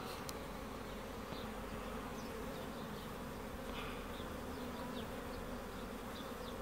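Honey bees fill the air with a steady, low droning hum of many wings.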